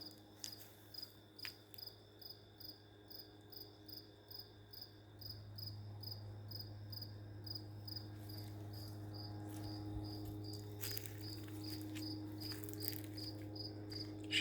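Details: A cricket near an open door keeps up steady, evenly spaced high pulsed chirps about every half second, said to have gone on for about three days and to stop if approached; low indoor hum, quiet speech.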